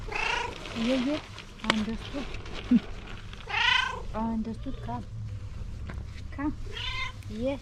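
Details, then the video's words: Domestic cat giving a series of short, bent meows that rise and fall, spaced a second or two apart, over a noisy household background with thumps and faint voices. "Videos De Gatos Maullando | Cats Meowing Sound Effect"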